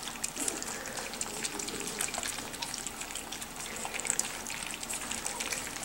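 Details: Trickling, splashing water with scattered drips fills the recording, and no animal voice is heard.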